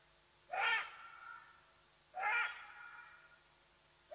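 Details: Alarm calls of a side-striped jackal betraying the leopardess Watika at Nkorho, in South Africa's Sabi Sands Reserve next to Kruger, picked up by a live wildlife cam: two hoarse, rising, owl-like hoots about 1.7 seconds apart, each trailing off into an echo.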